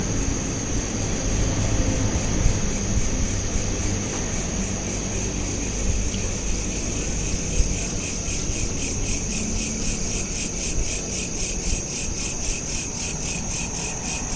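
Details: Crickets at night, captured on a smartphone: a steady high-pitched trill with rapid pulsed chirps repeating in even rhythm, growing more distinct in the second half, over a constant low rumbling background hum.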